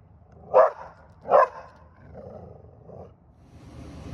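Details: A Standard Schnauzer barking at a balloon gives two loud, deep, full barks about a second apart, then quieter sounds.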